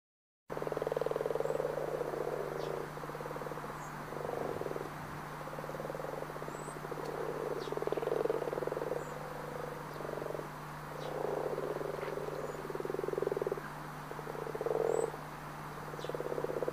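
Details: Wild frogs in the Pantanal of Brazil giving a long, dense chorus of pulsed, buzzy croaks, bursts overlapping and swelling and fading over seventeen seconds, over a constant low hum with scattered faint high chirps.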